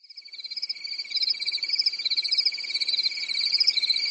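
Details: Crickets chirping on a calm summer night in a European forest; a steady, finely pulsed high trill runs under a higher, wavering shrill band, swelling slightly in loudness over the seconds, with no other sounds.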